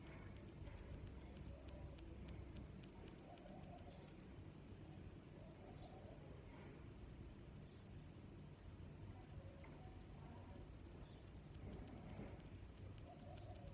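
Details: Long run of cricket chirps, high bright pulses repeating evenly about every two thirds of a second over a continuous thin trill, with soft low ambient noise and faint murmurs in the background.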